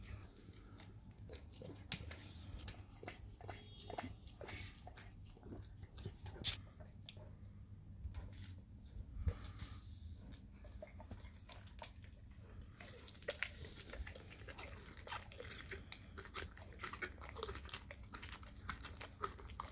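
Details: Dog eating raw cow tongue indoors, wet chewing and biting clicks scattered irregularly through the clip over a low steady hum, with a faint voice in the background.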